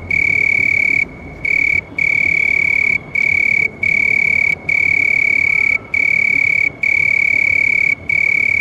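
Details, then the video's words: House cricket giving a piercing, even, ringing trill in sustained stretches, interrupted by short gaps roughly every second, over a quiet low background hiss. "House Crickets Sound"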